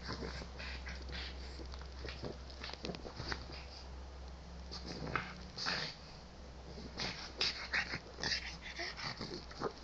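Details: Jax the pug plays with his ball on a bed indoors, producing a string of short, breathy snorts and snuffles at irregular intervals over a low steady hum.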